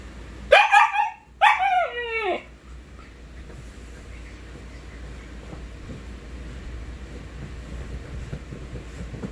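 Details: Siberian Husky gives two short, wavering howls that slide downward within the first few seconds. Steady background hiss fills the rest of the recording.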